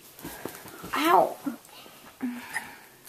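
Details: Russell Z., a Weimaraner, cries while chewing on his bone indoors: a short, high, wavering whine rises and falls near the one-second mark, then a lower, brief moan follows, amid soft clicking and rustling.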